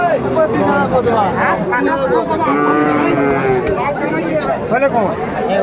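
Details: Crowded Ambari Haat cattle market, Dinajpur, Bangladesh, 22 April 2024, with Friesian and crossbred bull calves: overlapping lowing moos, one long steady call between two and three seconds, amid chatter and bargaining voices.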